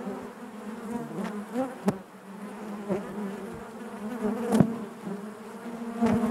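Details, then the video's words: Honey bees droning in their hive, a constant low buzz layered with higher harmonics, interrupted by several sharp clicks or knocks and gentle swells in volume. "bees therapy hive natural buzzing sound"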